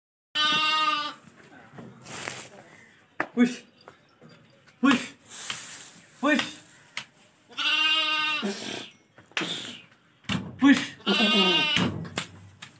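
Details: Lambs offered for sale bleat in loud, harmonic, nasal cries lasting about half a second to a second, three main calls spaced several seconds apart, with clicks, handling noise and brief voices between them.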